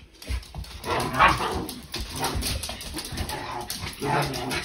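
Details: Dogs Nala and Jersey at play in a new playroom as Nala keeps Jersey out of the tent; rough, noisy bursts of barking and growling come in several clusters across the few seconds, indoors.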